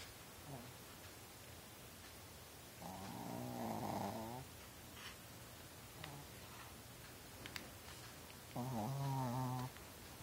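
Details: Sleeping puppy snoring indoors, keeping close to its bedridden owner; two drawn-out, rasping snores roughly six seconds apart, each over a second long with a rough buzzy tone, over quiet room hiss and faint rustles.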